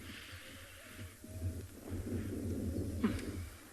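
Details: Low rumbling handling noise and throbbing thumps, with no clear animal call.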